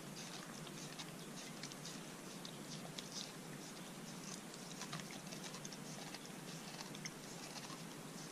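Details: A Corgi eats a dog-safe homemade popsicle on a hot day, crunching and licking the ice with soft wet clicks and chewing patter.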